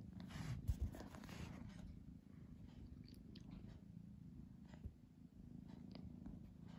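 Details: House cat, undecided between sleep and play, purring continuously; a dense low buzzing rumble that stays even throughout, with a few brief scuffling sounds near the start.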